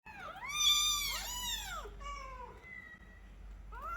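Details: Young kittens in an indoor cat room, kept in a cage during cleaning, give high, arching meows: a loud drawn-out cry, a softer falling mew, then a short rising mew starting at the end.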